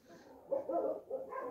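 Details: Puppies at a volunteer-run no-kill animal shelter in Russia give a run of short, mid-pitched yelping whimpers. The cries rise and cluster in the second half, with nothing else clear behind them.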